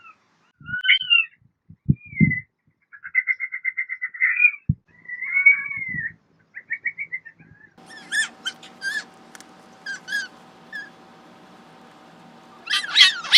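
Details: Pet fennec fox giving bursts of quick chirps and short trilled notes, some rising and falling. Later come several sharp clicks over a steady low hum, ending in a loud squeal.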